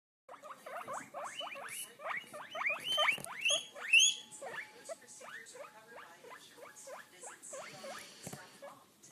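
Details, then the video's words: Several skinny guinea pigs, a hairless breed, calling in greeting: a rapid run of squeaky rising whistles, about two per second, with a burst of louder, higher-pitched squeals in the middle before the calls taper off. "Skinny Pig greeting"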